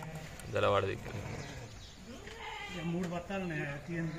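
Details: Sheep on a farm where the flock is being given an iron immunity tonic: one short, wavering, nasal bleat of about half a second near the start, then a man talking steadily through the rest.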